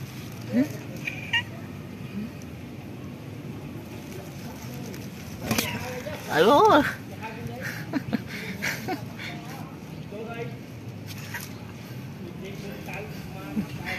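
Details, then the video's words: Timid black cat living at a pagoda, still wary of a person yet calling softly: one brief, clear meow rising then falling midway, amid a man talking nearby and low outdoor background noise. "Meet black cat gain who live in pagoda but he still afraid me and speak softly with me"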